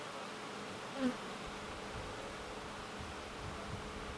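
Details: Leafcutter bee building nest chambers in old holes in a brick wall; a steady, even humming buzz runs throughout, with one brief higher chirp near the one-second mark.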